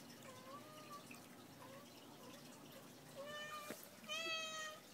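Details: Pumpkin, a pet cat in a stalking mood, mews repeatedly indoors: soft short rising-and-falling calls at first, then two louder, fuller meows near the end, with a sharp tap between them.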